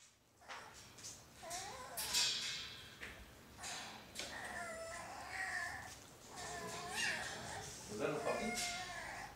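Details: Playing Alaskan Klee Kai puppies give wavering, talkative whines and sharp yips in quick, uneven bursts.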